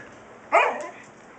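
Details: Siberian Husky puppy talking back to its father: a single short, high yappy bark with bright harmonics, lasting about half a second and tapering off, set against quiet background hiss.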